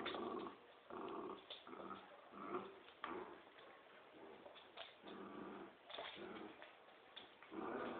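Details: Playful growling from a Poodle and a Dobermann tugging at a toy: low, rumbling growl pulses repeat roughly once a second, throaty and grinding, with short pauses between surges.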